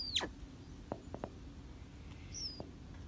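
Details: One of two captive male snow leopard cubs, born 26 April and about two months old, gives a sharp, high squeak that drops steeply in pitch, then a fainter one.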